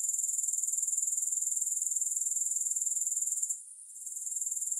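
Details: Grasshoppers, recorded without music: an even, rapidly pulsed high trill runs for about three and a half seconds, cuts out for roughly half a second, then resumes gradually.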